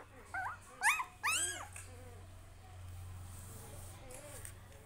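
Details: A puppy kept with its family lets out a quick burst of high, arching yelps and whines, the loudest pair close together early on, then fading into a few faint, drawn-out whimpers against a quiet room.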